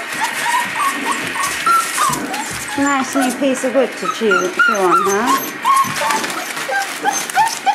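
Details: Litter of Boerboel pups at five weeks, mother Cleo nearby, whining and squealing in quick wavering notes that sweep up and down, several voices overlapping, with human voices talking underneath.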